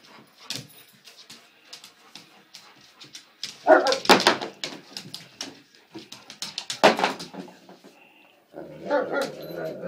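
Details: Two dogs play fighting indoors: rough, irregular bursts of growls and short barks, about two or three a second, with louder harsh outbursts near the middle and a sustained grumbling growl at the end.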